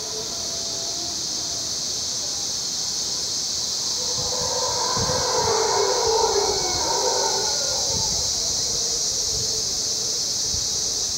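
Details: Howler monkeys in the early morning, recorded from the observation deck of Canopy Tower in Panama, rise in a distant, rolling roaring chorus midway, over a constant high hiss of insects.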